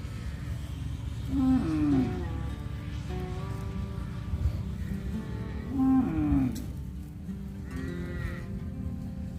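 A cow gives two drawn-out, wavering moos, calling her calves home, over soft background music.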